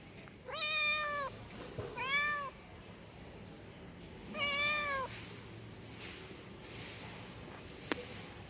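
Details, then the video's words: Female domestic cat in heat calling for a male: three drawn-out, harmonic-rich meows, each about half a second to a second long, with gaps of one to two seconds, over a steady faint hiss and a single sharp click near the end. "SUARA KUCING BETINA BIRAHI PANGGIL KUCING JANTAN TERAMPUH"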